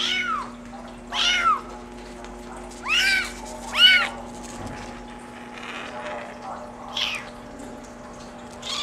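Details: Brown mackerel tabby and white Maine Coon kitten, a male born July 17, meowing four times in quick succession, each call rising then falling, followed by softer, fainter mews over a constant electrical hum.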